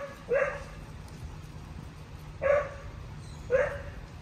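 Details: Lola, a two-and-a-half-year-old Cocker Spaniel in a distractions obedience program, anxious around new people and environments, gives three short, bright barks spaced one to two seconds apart over a low background hum.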